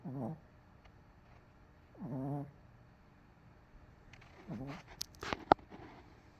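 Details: Asleep on the couch after a rough day, MoMo lets out three deep, rattling snores about two seconds apart, followed by a few sharp clicks and taps near the end; CoCo rests nearby.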